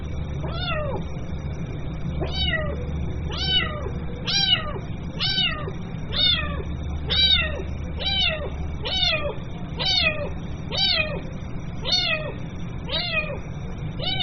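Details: Kitten crying for its mother in a fast run of about fifteen short, sharply falling meows, roughly one per second, insistent and evenly loud above a low droning hum.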